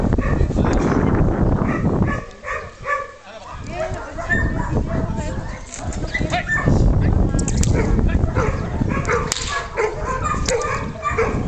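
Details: Senda, a Hovawart, attacking: rough barks repeated about three times a second, a brief lull near the two-second mark, then renewed barking over human speech and low-frequency thumping.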